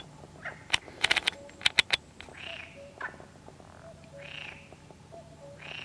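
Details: Perez's frog at the San Antolín pond, Zamudio (Goikomendi), 7 May 2020: a run of sharp clicking knocks, then several separate nasal, buzzy croaks spaced one to two seconds apart over quiet background.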